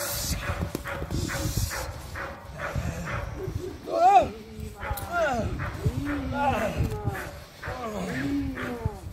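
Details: Clara, an eight-month-old Presa Canario puppy in working security dog training, gives short arched barks with rich harmonics, some rising and falling, mixed with shouted human commands and background music.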